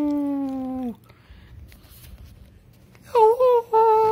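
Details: Drawn-out howl from Charlie the dog indoors, a steady tone that sags at its end, then a quiet pause followed by short wavering rising notes and a renewed sustained howl.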